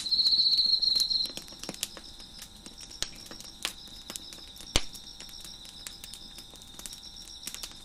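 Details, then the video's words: Crickets chirp behind a crackling fire on a deck. A loud, high, rapid trill opens for just over a second, then a fainter steady high chorus continues beneath irregular snapping pops of burning wood. "Crickets Chirping in the Background"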